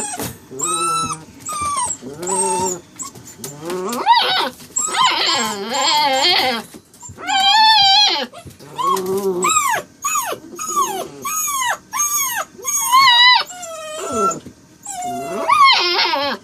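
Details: Strange sounds from Saint Dane puppy Faith, living with Harley: a long run of short, sharply bent whines and yelps, many arching up then dropping in pitch, some with buzzy bursts, delivered in irregular clusters.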